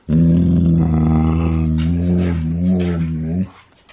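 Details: Husky indoors giving a steady, low, droning growl-like vocalisation for about three seconds, which wavers slightly near the end before stopping; a person's voice follows.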